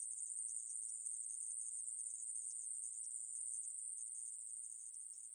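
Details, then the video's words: Aemaeburi, a Korean katydid labelled as a grasshopper and recorded by Korea's National Institute of Biological Resources, gives an unbroken high, thin buzzing trill that holds steady at one pitch for the whole stretch, with no other sounds. "애매부리, 여러번 듣기, 곤충소리"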